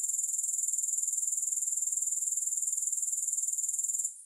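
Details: Grasshoppers stridulating with no music: a dense, high, hissing buzz of rapid regular pulses that holds steady for four seconds, then drops away abruptly near the end.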